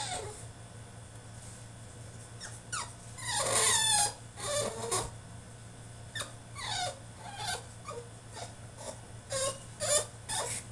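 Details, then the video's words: French Bulldog protesting in his cage with whimpering, cry-like whines, a louder wailing stretch in the middle, then uneven high yelps and squeaks continuing to the end, indoors. "FRENCH BULLDOG THROWS TANTRUM IN HIS CAGE!!"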